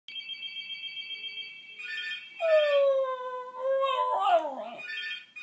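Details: Pet Welsh Terrier singing along to a telephone: a steady electronic ringing tone for two seconds, then a long, falling, tonal howl that wavers and breaks into higher yelping notes near the end.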